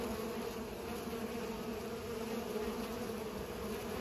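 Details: Bees pollinating flowers, a steady continuous droning buzz with a low hum band and a brighter layer above it, holding even throughout without pauses.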